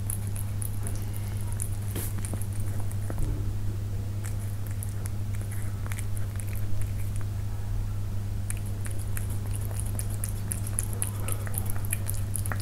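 A Persian cat eating, with soft crunching and clicking chews over a steady low hum.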